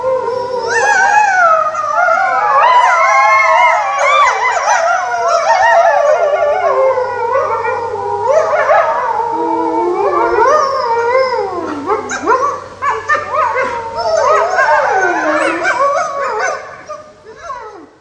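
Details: Several wolves howl together in a chorus of overlapping, wavering tones that slide up and down. Shorter, choppier yipping notes join in toward the end, and the calls fade away over the last seconds.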